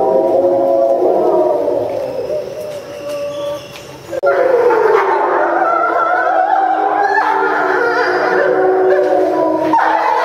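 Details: Captive timber wolves at a Japanese zoo howling in unison after feeding, September 2015: sustained overlapping wavering tones, a softer passage then an abrupt louder burst of several voices with rougher, higher yelping notes.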